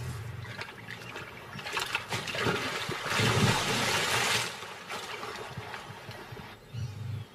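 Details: Running water trickles and splashes throughout, swelling to a louder rush midway, with no animal voice heard.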